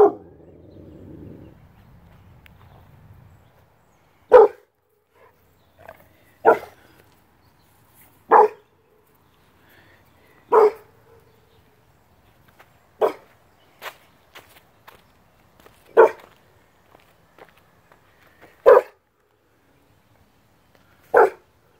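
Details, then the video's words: A 6-month-old Rottweiler gives single deep barks spaced a few seconds apart. "THUNDER THE ROTTWEILER"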